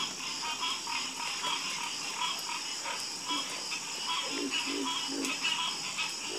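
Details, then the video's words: Chorus of croaking frogs: overlapping rapid pulsed notes, some mid-pitched and some deep, repeating steadily throughout, over a constant high insect trill. "Calming Sound Of Harmonious Frog Croaking"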